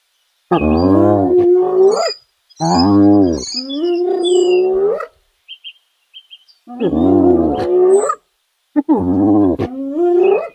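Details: Hyenas in Kruger National Park, South Africa; four loud moaning calls over ten seconds, each rich in stacked harmonics and ending in a drawn-out rising tail, with short faint squeaks in the pauses.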